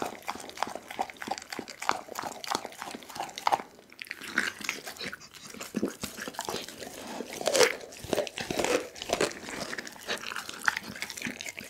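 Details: Pit bull named Doggy devouring a whole chicken, filmed with an Insta360 ONE R: loud crunching of bone and meat, sharp cracks crowding together, a brief pause near four seconds, then steady gnawing resumes.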